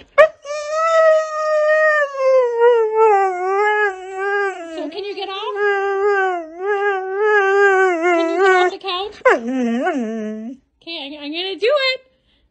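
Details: Siberian Husky pet in a playful, dramatic moment: a long run of wavering, yodel-like howls and talking moans rising and falling in pitch, several separate phrases with short pauses, the last ones higher and sharper.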